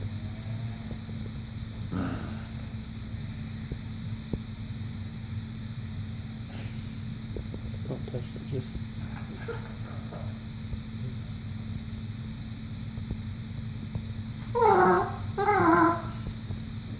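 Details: A Boston Terrier named Cooper makes funny, worried-sounding noises, two short wavering whine-like grumbles over a steady background hum, while trying to get people to play with his rope.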